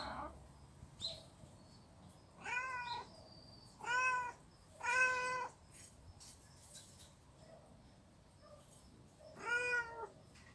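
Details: Street cats in a fight at a storage place, giving drawn-out harmonic wails about a second long, spaced a second or two apart, with quieter stretches between cries.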